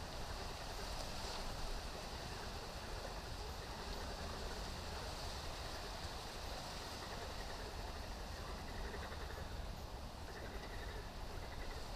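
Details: Steady broadband rushing noise like wind or water, with low rumble throughout and no animal calls.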